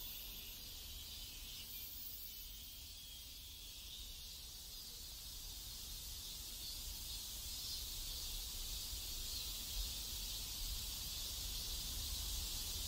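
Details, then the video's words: Cicadas in a South Korean neighborhood fill the air with a steady, high-pitched buzzing drone over a low background rumble. "ASMR South Korean Neighborhood Sounds Cicadas"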